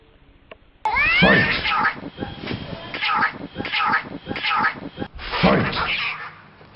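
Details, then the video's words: Cats in a fight: after a quiet start, a sudden burst of harsh, wavering yowls and growls, with sharp rising cries near the beginning, then repeated snarling bursts that swell and fade over several seconds, with people's voices possibly mixed in. "Katze Briga de Gatos"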